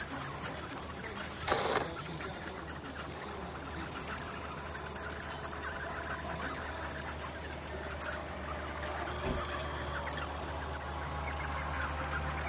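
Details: Crowded high-pitched bat chittering, fast and continuous, with a brief broad whooshing burst near the start and another faint one later, steady low hum beneath.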